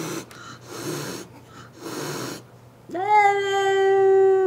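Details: Angry house cat named Clara reacting to another cat outside the window: several breathy hisses, then a loud sustained howl rising sharply and holding steady to the end.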